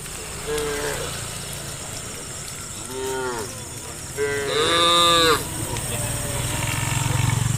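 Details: Tame cows herded toward the farm pen, part of a large herd: a few separate moos, the loudest a drawn-out bellow near the end, over steady rumbling background noise.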